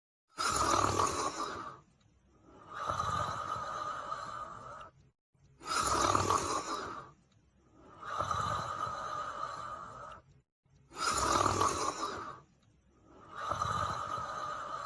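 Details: Female Hamiltonstövare dog asleep indoors, snoring steadily: six rasping, raspy snores in about fifteen seconds, alternating louder and slightly softer breaths roughly every two and a half seconds, with brief silent gaps between them.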